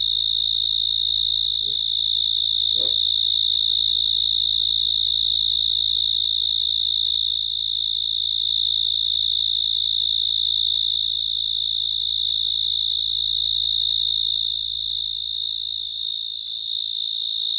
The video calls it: Cricket chirping. Chirping sound of cricket